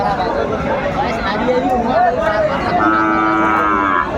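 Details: Friesian and crossbred bull calves at Aftabganj cattle market, Dinajpur, Bangladesh, 21 April 2024: a steady drawn-out moo rising through the second half over constant crowd chatter and men talking.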